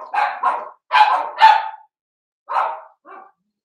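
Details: Cavalier King Charles Spaniel puppies, Blenheim colour, seven weeks old in a home pen: four sharp, high yaps in quick succession, a pause, then two more softer barks.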